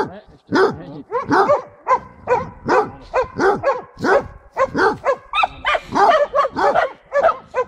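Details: A Basset hound bays steadily at a wild boar during a hunt near Šaštín, January, deep rough barks repeating about twice a second.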